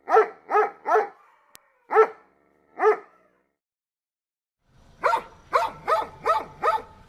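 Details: Barking dog: a few sharp barks about half a second to a second apart, a pause, then a faster run of five barks over a low background hum.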